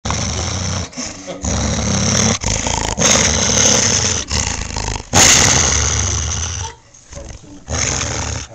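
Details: A dog growls close up in rough, rumbling bursts broken by short pauses, baring ferocious teeth while playing with a toy.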